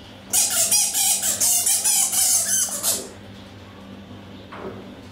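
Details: Captive Egyptian fruit bats at Paradise Wildlife Park, Broxbourne, Hertfordshire, in February 2012, seen in daylight while sparring in boxing matches. Rapid, harsh, high-pitched squeaky chatter pours out for about three seconds, then fades to quiet with a low indoor hum.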